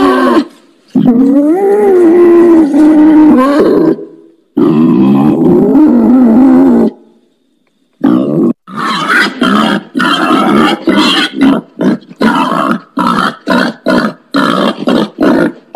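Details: Wild boar squealing in two long, wavering, harsh tones that rise and dip, then after a short gap breaking into a rapid chain of short, rough grunts, about three per second.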